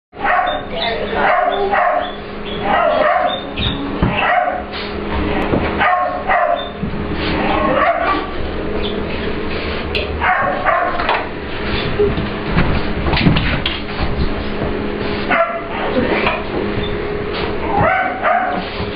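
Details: Ester, an English Bulldog/Pit Bull puppy, plays with Layla, a client dog, in a grooming room at work. Short yips and barks come in bursts throughout, mixed with human talk and a steady low hum.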